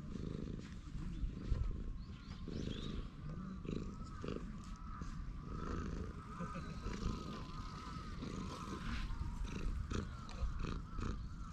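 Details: Low continuous rumbling purr from a stray cat lounging on a bench as it is petted, recorded with a GoPro HERO8 Black; deep pulsing texture holds steady across the whole stretch amid light outdoor background noise.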